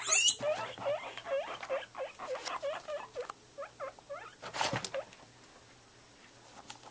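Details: Pet guinea pigs excited for their morning vegetables: a rapid series of short squeaky chirps, about three per second, fading gradually, with one louder rustling burst partway through.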